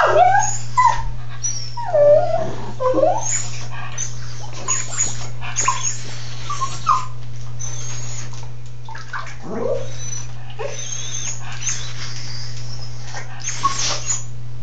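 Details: A pet dog in a tub whimpers in several short wavering whines near the start, then gives sparser, fainter squeaks. A constant low hum and occasional splashy rustles continue throughout.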